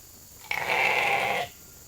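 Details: Domestic sheep in a hungry mob called into the holding pen for their evening grain at Nature Lane Fiber; one loud, steady, nasal bleat lasting about a second, rising abruptly and cutting off cleanly.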